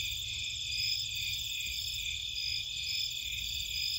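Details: Nighttime crickets and other insects in a Cape Cod marshland: a dense, steady chorus of high shimmering trills in several stacked bands, unbroken throughout, over a faint low rumble.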